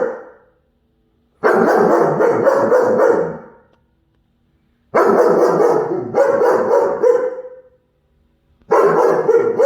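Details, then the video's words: Rapid volleys of loud, rough barks from a German Shepherd puppy going after a squirrel, three bursts within ten seconds, the second bout drawn out with a trailing whine-like tone. "German Shepherd🐕 vs Squirrel🐿"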